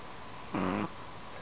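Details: Sleeping Chihuahua giving one short buzzy snore of under half a second, a steady low harmonic drone, over constant indoor background hiss.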